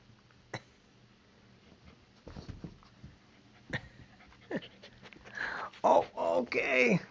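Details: Playful puppy indoors, pushing against a person: soft scattered sounds, then a run of high, squeaky whimpering yips near the end, with a woman talking to the dogs.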